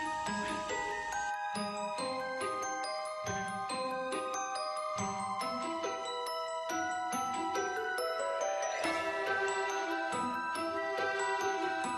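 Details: Tinkling glockenspiel and mallet-percussion melody playing continuously, bright chiming notes with no insect or animal calls.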